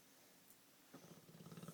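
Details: A male Olde English Bulldogge snores after a brief hush, a deep, raspy, rapid vibrating flutter that swells and throbs like a sleeping man's snore.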